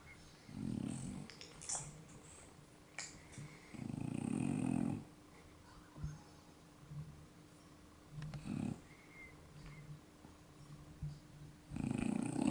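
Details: French Bulldogs fast asleep in a room, giving uneven low rumbling snores, some long and some short, at irregular gaps, with faint rustling and soft higher noises between breaths.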